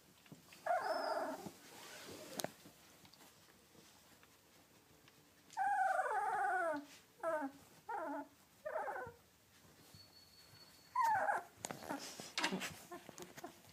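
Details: Two-week-old yellow British Labrador Retriever puppies from Bailey's litter of seven, whelped May 30, 2013, giving short high whining squeals that fall in pitch, several in a quick run and then a lone one, with quiet room noise and faint clicks between.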